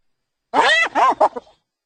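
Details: Hyena giggle: a rapid series of short, arching, chuckling bursts, loud at first and tapering to faint clicks, under one second in total.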